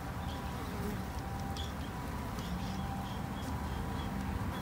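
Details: Japanese honey bees kept by a garden beekeeper two months into the hobby, raised as a conservation effort; a steady low droning hum fills the recording, with short faint bird chirps above.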